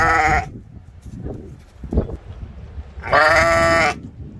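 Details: Ram in a mini zoo at Ventspils, Latvia, filmed in April 2021, giving a loud, harmonic, nasal baa about a second long after a clipped bleat at the start, with quiet rustling and low background noise between.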